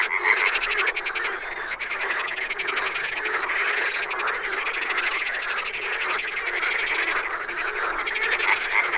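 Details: Many wild frogs calling at once form a thick, continuous wall of raspy, pulsing croaks with a thin high-pitched trill running above.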